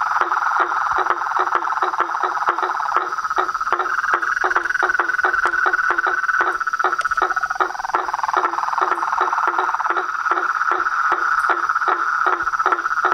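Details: Dense frog and toad chorus with treefrogs: rapid ticking pulses packed closely and steadily, over a continuous bright whistle-like drone that wavers slightly in pitch partway through.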